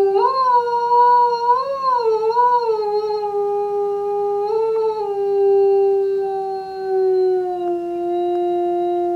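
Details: A five-year-old male eastern timber wolf (gray wolf) at a zoo gives one long, clear howl that wavers near its start, then slowly slides lower; he often howled in the afternoon; recorded in January.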